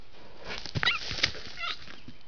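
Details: Young spiky sambar stag vocalizing on a trail camera as seven or more deer pass through: a brief high squealing note with bending overtones, a second short note soon after, over steady background hiss.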